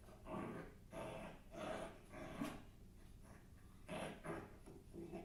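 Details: Domestic dog giving short, rough barks with a growling edge, five or six bursts in quick succession in a small room.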